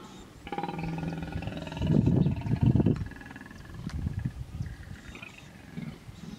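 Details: Hippopotamus stand-off in Kruger National Park's Vurhami River, South Africa, a female protecting her young; a low pulsed honk, then two loud deep grunting bursts, followed by quieter scattered grunts.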